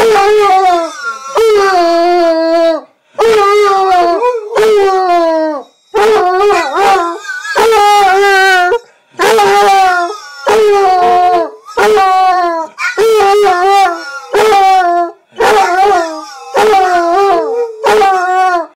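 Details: Basset hound Phil howling along with his own recording: a long run of about fourteen wavering, yodelling howls with sliding pitch, delivered in quick succession with short pauses between.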